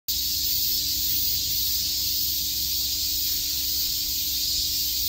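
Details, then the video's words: Cicadas chirping in Shakujii Park, Tokyo, on a summer day: a dense, unbroken high hissing buzz that holds steady in loudness throughout, with a faint constant low hum underneath. "Cicada chirps"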